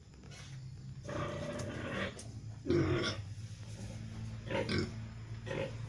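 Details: Young gilt kept as a future breeding sow, a three-breed F2 cross of a Pietrain boar with a Landrace x Large White F1 female, giving short rough grunts and snorts in separate bursts over a low steady hum.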